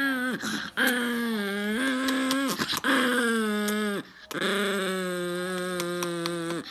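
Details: An upset dog, whose owner asks whether it is really that mad, gives long sustained moaning grumbles. Each steady, slightly wavering tone lasts one to two seconds, separated by brief gaps.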